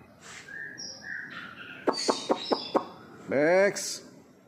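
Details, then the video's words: Long-tailed white-rumped shama, a kept bird, singing in the morning outside an apartment in Singapore: a few short whistled notes, then four sharp clicks, with a harsh buzzy harmonic burst near the end and indoor room tone. "Murai Batu ekor panjang"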